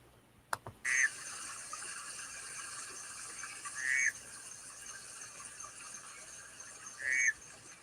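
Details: Panamanian golden frog recorded in Panama by recorders strapped to a tree, its chirp picked out by the RIBIT tool from its pulse repetition rate; three short, bright chirps about three seconds apart over the steady hiss of a stream.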